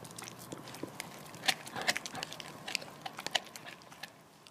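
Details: Lilly, a female Border Collie and Labrador mix living on the Stallgespräch Alfter farm, gnawing a bone in November 2015: dense, irregular crunching and cracking bursts, several loud snaps standing out from a steady run of wet chewing.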